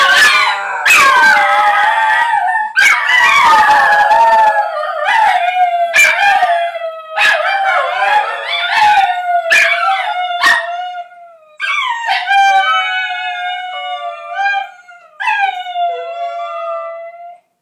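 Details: Three Basenjis howl together, as they usually do when a plane flies over or their owners howl at them, in long, wavering, yodel-like tones broken by sharp yips.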